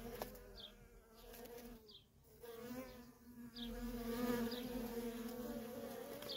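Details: Feral honey bee colony with workers coming and going nonstop; the buzzing drone dips quieter early on, then swells louder and fuller, with short high downward chirps repeating every second or so.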